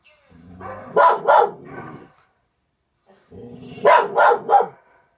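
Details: Overexcited house dog from a Norwegian Elkhound and German Spitz household barking at a dog on a television screen: two clustered bursts of sharp, loud barks separated by a pause, with faint background sounds from the television.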